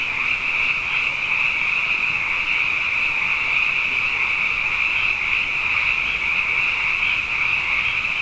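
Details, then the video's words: Frogs in great numbers chorusing at night after back-to-back wet years: a sustained wall of high, buzzy trilling with a softer secondary band below, steady and without gaps. "Frog Songs: Na Mele o nā Paloka"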